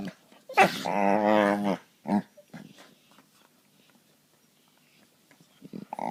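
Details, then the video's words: Pet dogs play fighting and gnawing at each other on an indoor couch; one loud, wavering, tonal growl of about a second, a short grunt, then near quiet before a soft final grumble. "Dogs making funny sounds"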